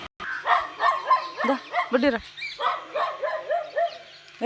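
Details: Labrador Retriever on a morning walk giving a run of excited, high whining yelps, each bending up then down, about two per second and unbroken for over four seconds, with a person speaking nearby.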